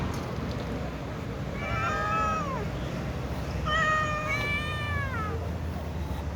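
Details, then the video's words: Cats meowing before eating, a little cat and a tom cat among others: two long drawn-out harmonic meows, the first falling at its end, the second wavering and slightly overlapped by a second voice, over a steady low rumble. "Little cat and tom cat meow and other cats too before eating"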